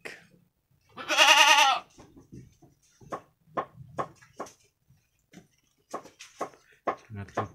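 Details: Two brown Jawarandu kids roughly one week old play in a pen; one wavering, nasal bleat near the start, then a string of knocks, taps and indistinct talk.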